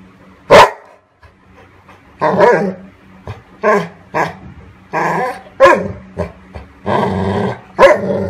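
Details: Indoor pet dogs, one having stolen a sleeping golden retriever's toy: short, loud, harmonic barks and yelps in about nine separate bursts over eight seconds, some drawn out, over a low steady household hum.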